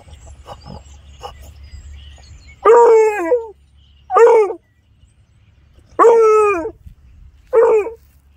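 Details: A male beagle-basset mix on a rabbit's scent trail in a yard gives four loud, ringing trumpet-like howls, each a drawn-out bay sliding downward about every one and a half seconds, telling others he found something.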